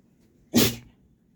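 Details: Pet dog sneezing: a single sharp, explosive burst of breathy noise lasting about a quarter second in an otherwise quiet room.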